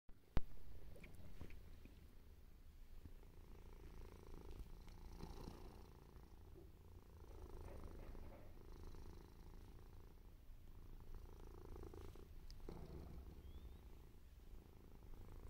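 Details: Mimi, a white and ginger male domestic cat, purring steadily: a low, continuous rumble with soft rhythmic pulses throughout, a sharp click near the start, faint rustling above.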